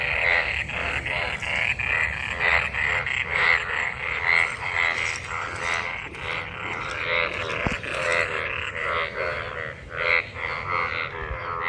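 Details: Numerous frogs in rainwater after monsoon rain, calling while mating; rhythmic buzzy croaks repeat about once a second in a dense chorus, with a steady higher ringing tone and a sharp click midway.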